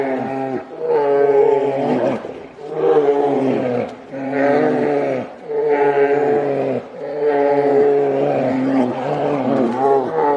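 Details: Two grizzly bears whose argument turns into a fight trade loud, droning roars, each bellow lasting a second or two.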